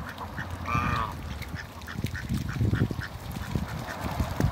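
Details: At a Skydra waterbird farm, one of a Mallard pair utters a single loud nasal quack early on, followed by faint softer calls and steady low background rumble.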